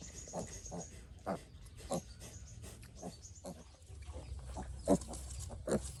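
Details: Piglet that has been sick since it was little, making short grunts roughly once a second in a loose, irregular rhythm, a couple of louder squeaky ones near the end, over a low humming background.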